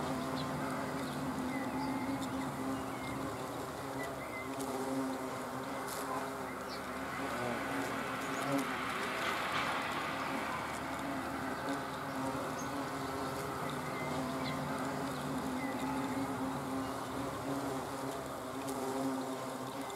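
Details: Hornets filmed on 30 June 2020 hold a continuous droning buzz, low and even in pitch for the full twenty seconds, over a dense, noisy background.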